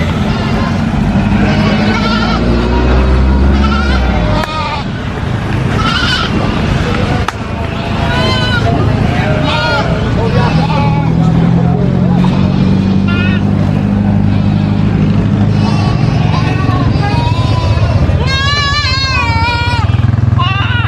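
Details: Goat screams in a noisy setting: repeated quavering bleats, with a sharp, strongly harmonic cry near the end, heard over people talking and a steady low engine hum.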